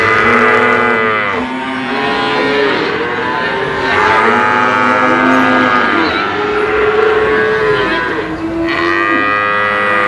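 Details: Several Brahman bulls calling together, sustained harmonic moos layered over each other, some bending upward at the start, forming a steady chorus of lowing.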